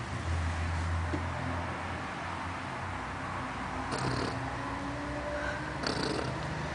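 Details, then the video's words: Fifteen-year-old pet poodle asleep and snoring: soft, low, purring rasps repeat unevenly, with a few breathier bursts. Portuguese sports commentary plays steadily in the background. "baby roncando (snoring dog)"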